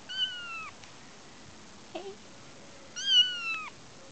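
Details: Kitten Sumi, out on the front-yard grass for the first time, calling for his mother Shiye who is still indoors; two high, thin meows bending downward at the end, with faint rustling between.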